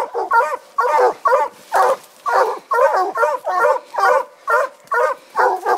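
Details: A Treeing Walker Coonhound barks treed on ringtails in eastern Kentucky, steady, hard, chopping bursts about two each second.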